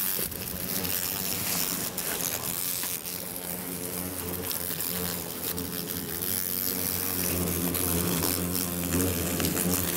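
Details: Japanese giant hornets pouring out of a nest in stacked, abandoned tyres after grass mowing disturbed it, Motomiya, Fukushima, Japan, 28 September 2017; overlapping droning buzzes with wavering low harmonic tones over constant crackly, hissing noise.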